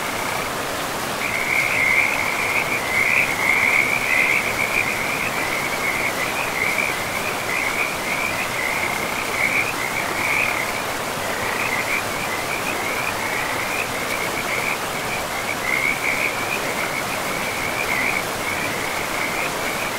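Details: Frog chorus by a river in a pristine, mossy forest: after a quiet first second, dense trilled calls at a fixed pitch run almost without pause, with brief gaps, over the steady roar of the stream.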